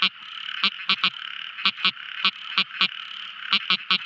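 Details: Night recording of a tiny frog: abrupt clicky croaks, often doubled, roughly every quarter to half second, against a continuous high buzzing background chorus.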